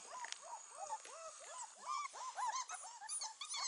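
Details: Kenneled four-week-old Beauceron puppies whimper together in a dense chorus of short, downward-curving cries, overlapping and repeated rapidly, growing louder toward the end.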